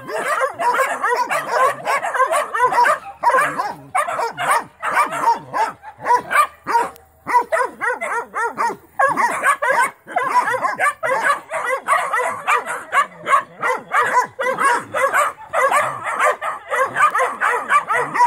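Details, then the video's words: Young Mountain Cur pups bark nonstop at a trapped young raccoon as part of their training. Fast, overlapping high yips and barks from more than one pup form a steady chorus with only short breaks. "Original mountain curs pups getting some training and barking time in on a young coon"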